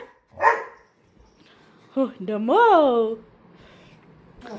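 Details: Labrador Retriever at home playing with its owner under a blanket: one short bark, then a drawn-out rising and falling whining howl, with a woman talking nearby.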